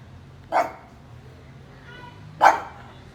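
A pug gives two short, sharp barks about two seconds apart.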